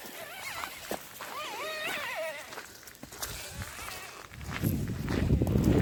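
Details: A dog making a strange noise: wavering, yodel-like whining tones that slide up and down in short bursts over the first two seconds, then fainter, with people talking and a low rumble building near the end.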